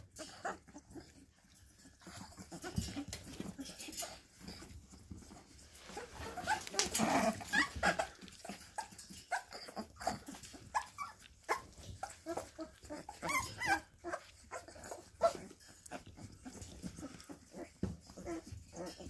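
Bull Terrier puppies play fighting, with small growls, whimpers and snuffling breaths amid scuffling.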